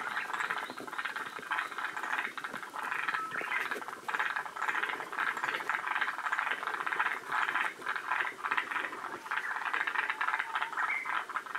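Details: Forest green tree frogs at Shiriya in Aomori, near the northern limit of their range. A dense, continuous chorus of raspy, rattling croaks comes in quick overlapping bursts, with no clear pause.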